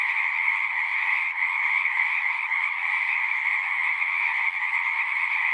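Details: Chorus of frogs at a pond in a horse pasture, taped with a Zoom recorder; continuous massed trilling holds a steady high pitch with a lower band beneath, a brief slight dip near the first second, otherwise unbroken.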